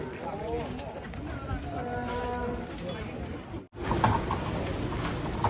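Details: Lowing of cattle being taken off a truck: several overlapping, wavering moos in the first half, then a brief gap and a burst of outdoor commotion and noise.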